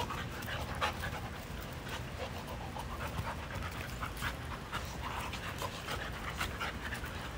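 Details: Several dogs at play in a yard breathe in fast, scratchy pants that run steadily through the whole stretch, over a dense low-pitched background rumble.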